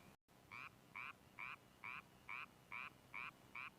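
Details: Japanese tree frog, a small frog with a very loud call that spawns late, around the same time as the narrow-mouthed toad; eight evenly spaced, short raspy notes, roughly two per second, over a quiet background.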